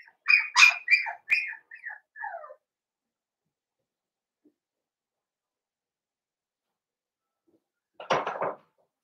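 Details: Blenheim Cavalier King Charles Spaniel puppies from a litter of five born at New Year, indoors in a home puppy pen: a quick run of high, squeaky whines over two seconds, then silence and one short rougher yip near the end.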